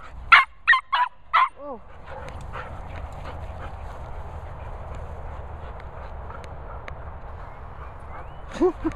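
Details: Border Terrier Nala, nicknamed Noisy Nala, meeting Cocker Spaniels Finlay and Murphy: four quick sharp barks in a burst, then a falling whine, a stretch of quiet rustling, and one more short yelp at the end.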